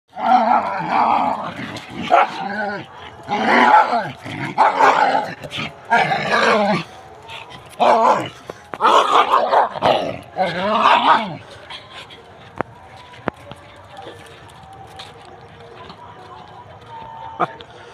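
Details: Dogs fighting, with bursts of harsh snarling, growling and yelping barks packed together for about eleven seconds, then a quieter stretch with only a few sharp knocks and faint sounds.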